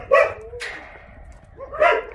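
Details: Two separate barks from Jindo dogs at the breeding kennels of the Jindo Dog Theme Park, Jindo County, spaced nearly two seconds apart, with quieter murmuring background noise between them.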